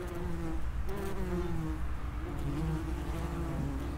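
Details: Continuous low, humming buzz of common wasps around an underground nest entrance, several insects overlapping with gently gliding pitch, no other sounds.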